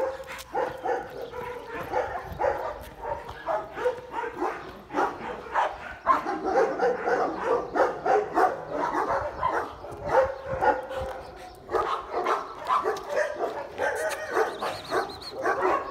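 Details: A pet dog barking in quick, uneven runs of short mid-pitched barks for about sixteen seconds, with occasional higher whine-like notes mixed in.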